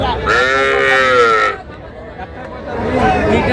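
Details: Sahiwal bull or heifer calf, one of the smallest bought by a Shariatpur farmer on 11 August, calls with a long, rich, even bawl of over a second. Quieter talk and crowd murmur follow.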